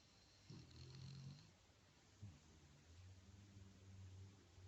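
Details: Dog snoring contentedly while enjoying a massage indoors: quiet, low rumbling snore breaths, three drawn-out breaths in about five seconds, with soft faint hiss in the background.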